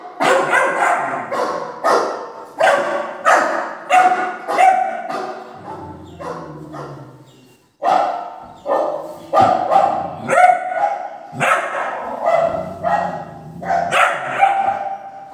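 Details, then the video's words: Young Doberman, three months old, barking excitedly at recorded barking played over a speaker; fast, uneven barrages of high, yappy barks with a brief silence midway before the barking resumes. "fake dog barking sound play on speaker ( dobarman 3 month puppy agrarian)"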